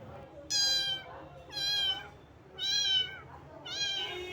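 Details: Small cat found wet in the rain and shivering from the cold, meowing repeatedly: four high, harmonic-rich meows about one per second, each slightly rising then falling, with faint background hum.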